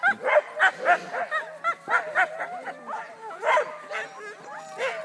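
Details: Sled huskies getting ready for mushing in Wardsboro, Vermont, give rapid, high yipping barks, several voices overlapping in an eager, uneven chorus.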